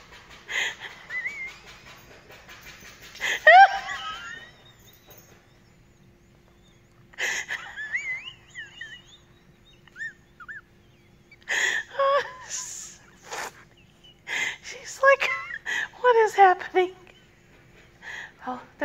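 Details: Zoe, a pet dog, voices contentment while being scratched: scattered wavering whines and squeaky moans, a short burst near the start, then denser clusters of breathy whimpers and yelps in the second half.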